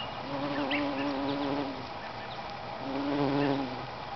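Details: Bumblebee at a lupin flower: a short low buzz for the first two seconds, a pause, then a second drone near three seconds, with soft bird notes scattered over it.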